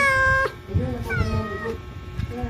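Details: Domestic cat in labour for the first time, with people helping her: one loud, steady, drawn-out meow lasting about half a second, then overlapping human talking.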